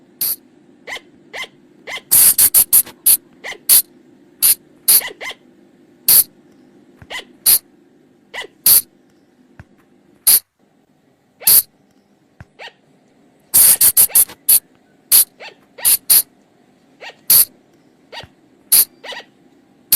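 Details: Flying lemur, known in Thailand as bang or phung chong, in a forest recording used to draw the animals in at night: rapid clusters of harsh, explosive squeaks, about fifty a minute, sometimes packed in quick bursts, with a low droning background.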